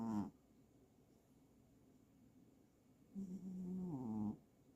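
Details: A pet cat snoring. A short snore at the start, then a long, rasping, droning breath of about one second after a quiet pause, low and buzzy with a wavering tone. The room is otherwise quiet.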